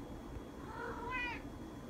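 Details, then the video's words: Asked if she is hungry, a female cat gives one soft meow that swells upward and then drops away, over a quiet, steady background rumble. "Owner asks cat if she is hungry"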